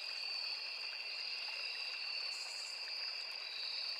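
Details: Crickets and other insects of a forest along a small river keep up a flat, continuous high ringing drone, with burbling stream water steady in the background.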